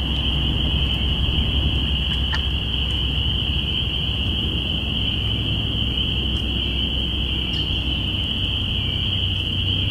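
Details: Binaural capture from April 5, 2017 of spring peepers at the beginning of spring: many peeping frogs form a steady, high-pitched trilling wall of sound, with faint clicks and a low rumbling underneath.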